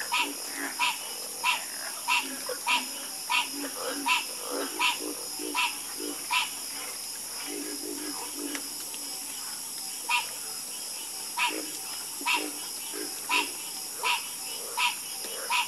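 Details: Frogs croaking together in a calming chorus, with crisp, clicky croaks repeating steadily at a brisk pace for the whole stretch while deeper, throatier calls overlap beneath them and a constant high hiss fills the background.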